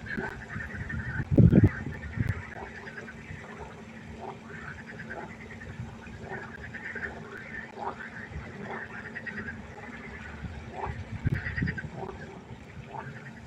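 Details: Night chorus of frogs at a pond, many faint repeated croaks overlapping, interrupted twice by brief low thumping knocks, over a constant low hum.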